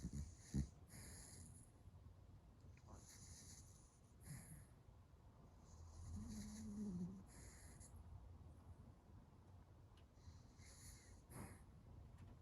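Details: A Dachshund asleep and dreaming, its legs running in the dream, breathing in quiet, irregular snorts and wheezes. A short nasal whine sounds midway against a faint room hum.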